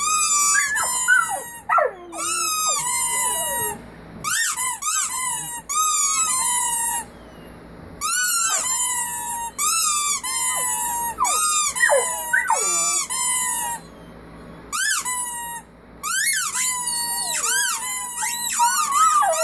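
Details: Several puppies from one family howling indoors, high wavering cries rising and falling in short bursts with brief silent gaps, some yelps mixed in.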